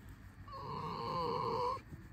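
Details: Pet red fox Alisa, sleepy after waking and cuddling nose to nose before going for a walk, lets out one steady, squeaky whine lasting just over a second, slightly rising at the end, in a quiet room.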